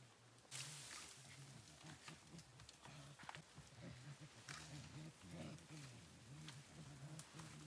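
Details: Mountain gorillas in Rwanda, September 2020: low, rumbling grunts repeat in short bursts over steady rustling and broadband background noise.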